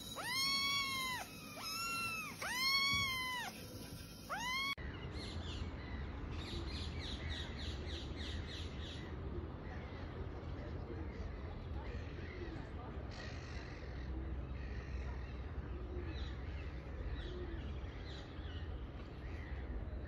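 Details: Several kittens meowing all at the same time: clear arching, rising-then-falling meows repeat about once a second at first, then give way to a busier overlapping chorus of fainter mews over a low background rumble.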